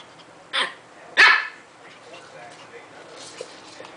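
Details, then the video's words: A pet dog sneezing twice in quick succession, two sharp, breathy bursts about half a second apart, followed by quiet background sounds. "Babies laughing at dog sneezing/talking"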